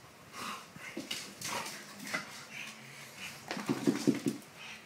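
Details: Pug fighting with a Labrador indoors: irregular short whiny yelps and grunts, scattered and soft at first, then a quick cluster of louder rough growling bursts near the end.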